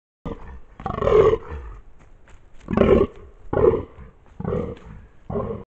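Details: A fallow buck in rutting season, 2023, on a trail camera at Mount Fairy, NSW, Australia, gives deep, belching croaks like a brown bear, each a rough burst repeated every second or two.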